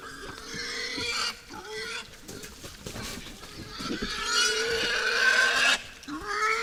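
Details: Wild boars visiting a forest feeder at night: loud, harmonic, wavering squeals with shrill overtones, rising and falling through most of the stretch, briefly broken by short pauses and rustling.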